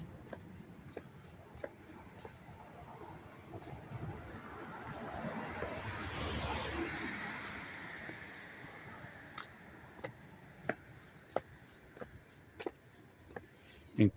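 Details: Crickets chirping up close in Dobbs Ferry, New York, on August 19, 2025: a steady, high, continuous shimmering trill with fast pulses, plus a broad rushing swell midway and scattered clicks.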